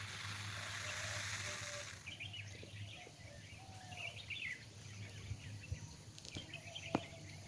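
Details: Saw-scaled vipers giving a warning: a harsh, hissing rasp runs for about two seconds at the start, followed by a chorus of chirping, whistling birds and a few faint clicks.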